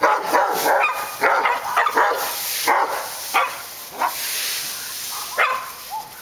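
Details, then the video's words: Dogs barking on Park Drive, with short sharp barks arriving in irregular clusters and single yaps spaced about a second apart, against a constant hissing background. "Barking Dogs"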